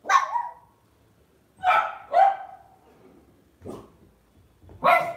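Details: Lhasa Apso pet dog at home giving five short, sharp barks spaced unevenly over five seconds, each bark bright with a quick downward slur, quiet gaps between.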